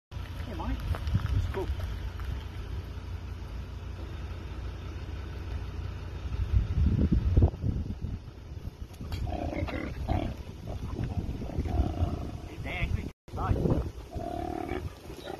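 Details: A koala rescued from a road by a man gives deep, rumbling growls, with the man talking nearby.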